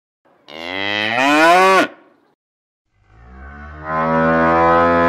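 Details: Cows in a field give two loud, drawn-out moos, the first rising then dropping sharply, the second deep and steady.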